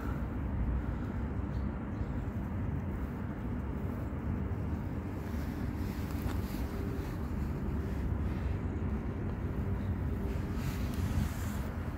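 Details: Continuous low rumble like a passing vehicle or engine outdoors, with no animal call heard.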